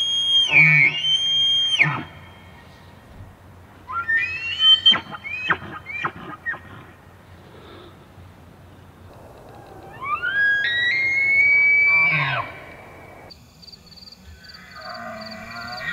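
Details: Elk (Cervus canadensis) bugling during the rut, filmed in Pennsylvania or the Canadian Rockies: a rising, reedy whistle climbs high and holds, with low grunting notes around it; breeding-season rutting call.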